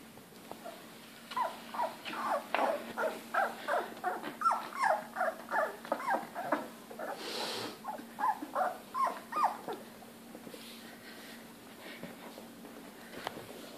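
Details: Three female Labrador Retriever puppies, about 3 weeks old and just beginning to walk, give a rapid series of high, squeaky whimpers and yelps.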